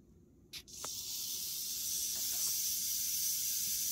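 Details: Western diamondback rattlesnake, killing a mouse almost instantly; after a brief click a steady, dense, hissing buzz switches on and holds unbroken to the end.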